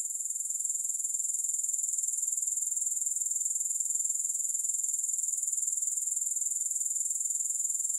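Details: Grasshopper sound without music: an unbroken, thin, high-pitched buzzing trill with an even pulse of about four beats per second throughout.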